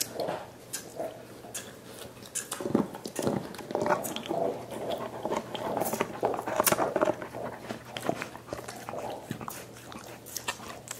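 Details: Five dogs chewing soup bones as dental care: rapid, irregular wet chomps and slurps, roughly two per second, with crackling bone clicks throughout, indoors.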